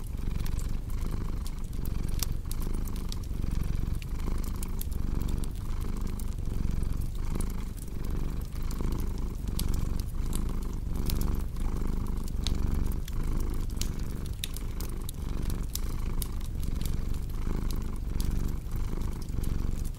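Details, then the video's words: Long stretch of a cat's deep purring, steady rumbling in even breath-paced waves, accompanied throughout by scattered crackles of a burning fireplace. "Purring Cat with Cozy Crackling Fireplace Sound"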